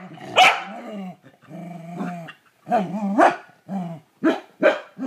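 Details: A corgi that hates the toilet bowl brush barks at it sharply in short bursts, with low growling rumbles between the barks.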